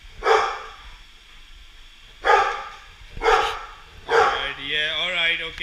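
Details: Golden Retriever barking at a Roomba indoors; three loud, harsh barks about a second apart, then a fourth bark that runs into a drawn-out whine or human voice as the dog is told to calm down.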